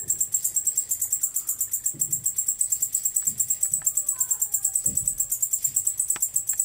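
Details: A male white-faced bush-cricket (Decticus albifrons) stridulates its song, a dry, high, rapidly pulsed buzz in steady repeated bursts.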